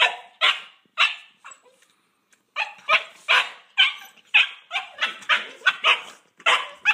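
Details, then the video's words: Boxer puppy siblings Paizley and Pepsy argue over who owns a pig ear in Bonney Lake, WA; shrill yapping barks, a short quiet gap, then a dense flurry of rapid high yips and barks. "Pig Ear Argument - Paizley & Pepsy - Boxer Puppies"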